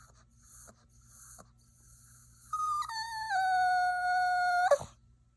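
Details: Whining Yorkshire Terrier puppy: after a few faint whimpers, one long, sustained tonal whine that steps down in pitch and then holds steady for about two seconds before breaking off abruptly.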